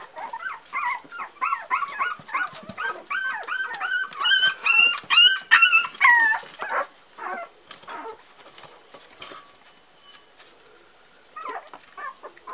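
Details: Litter of four-week-old Parson Russell Terrier puppies producing a rapid burst of shrill, harmonic-rich yelps and squeals over several seconds, then fading to quiet rustling before a few final soft whimpers.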